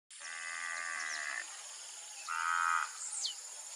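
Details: Half-blood Angus heifers, a cross of Nelore and Aberdeen Angus breeds, on a Brazilian cattle ranch; one long drawn-out moo followed by a shorter, louder one, over a steady high insect drone and brief bird chirps.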